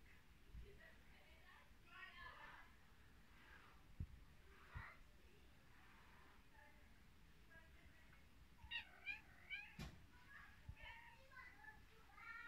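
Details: Mother cat with her kittens in Vratnik, Sarajevo: several high, wavering mews, some rising then falling, come in short bursts, clustered most densely around the nine-second mark, with soft human talk and occasional knocks in a small room.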